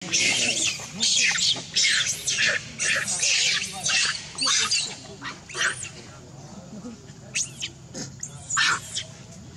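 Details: Baby monkey crying and begging its mother for milk while she nurses. Shrill, hoarse squeals come in short bursts about once a second, then fade into sparser cries over a low background rumble.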